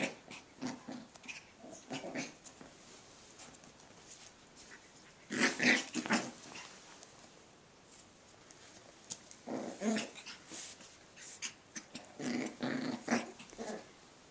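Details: Cavachon puppies playing indoors, giving short bursts of rough play growls in clusters around the middle and end, separated by quieter stretches with faint scuffling; a voice may be present.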